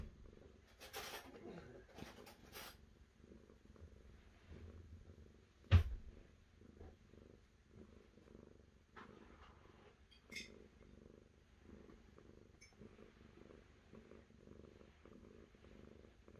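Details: Cat purring quietly and evenly, a soft rumbling buzz in regular pulses, with rustling and scratching noises early on and a loud knock midway.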